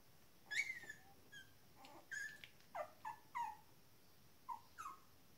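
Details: Shetland Sheepdog puppies, 19 days old, whimpering and squeaking: a rapid run of high, falling squeals at first, then a string of short, descending whines spaced about half a second apart over a quiet background.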